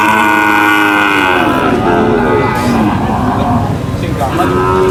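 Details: At a market, cattle being unloaded from a truck produce long, layered lowing calls, several animals at once, beneath talking voices and a background rumble of engines.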